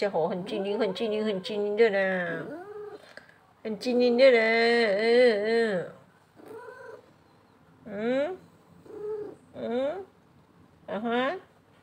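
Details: Paralysed pet cat called Huanhuan, indoors at bedtime: Mandarin speech dominates the first half, then four short rising meows follow, spaced about a second apart, with quiet gaps between.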